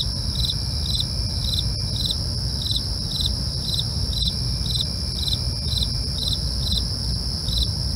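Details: Night-time cricket chorus: regular high-pitched chirps roughly two to three per second, nonstop shrill trilling above, a couple of faint clicks, and a persistent low rumble throughout.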